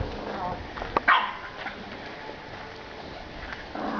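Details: Bulldog puppies playing in a garden in spring 2012 give a brief pair of sharp yelping barks near the start, then go quiet amid soft rustling and human voices.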